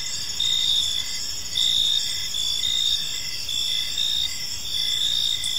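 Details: Crickets at evening in a peaceful park give a shrill, layered chirping chorus, its bursts swelling and fading about once a second above a low, quiet rumble.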